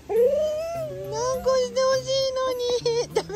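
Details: A Border Collie, about five years old, cries from jealousy when its brother is held, wanting to be picked up, in a restaurant: a long, wavering, high-pitched whine breaking into short pleading bursts over soft background music.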